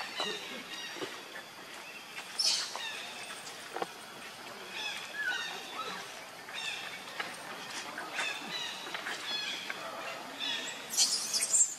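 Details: Baby monkey named Leo, very hungry, crying to beg its mother for milk: thin, high-pitched whining cries in short repeated bursts, with shriller squeals near the start and at the end, over soft outdoor background.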